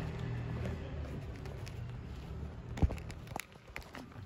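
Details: Low background rumble with a sharp knock, then scattered light taps and footstep-like clicks, and no animal voice.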